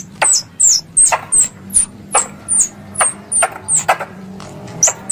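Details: Squirrel call played as a hunting lure in Indonesia. Shrill chips sweep downward, spaced a bit under half a second apart, with a faint low hum beneath.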